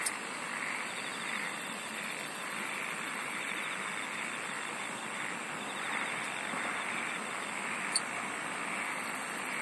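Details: Insects singing in a dense natural chorus: a steady high, thin whine runs throughout, with rapid pulsed trills high above it in bursts, over a broad hissing wash of many callers and a single sharp click near the end.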